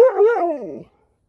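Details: Husky competing with a Malamute for a treat: a single drawn-out vocal sound under one second, starting mid-pitched with a wavering contour, then sliding downward and fading out.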